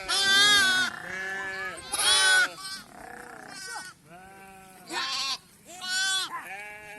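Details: Sheep in a flock vaccinated against PPR in India, a mother calling for her lamb: loud, wavering bleats of about half a second, four strong ones with fainter bleats between, spaced one to two seconds apart.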